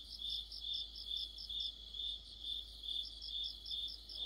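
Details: Crickets chorusing in autumn, shrill pulsed trilling beating steadily over twice a second while a higher-pitched cricket chirps rapidly alongside throughout.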